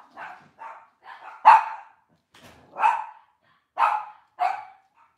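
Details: Cavalier King Charles Spaniel barking in a kitchen where off-season mothers, puppies and sometimes sires are kept: a few soft barks, then one loud bark, then louder spaced barks with short silent gaps.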